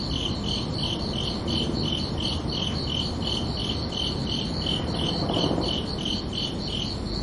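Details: Night-time crickets on a summer evening give a rapid train of high, pulsing chirps, about three each second, carried over a continuous low rumble and hiss of ambient noise.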